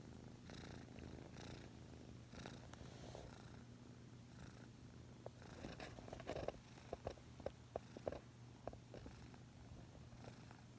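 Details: Sleeping domestic cat's continuous deep purr with a snore-like quality, cheek resting against its owner's leg, pulsing with each breath, a few brief clicks and rustles.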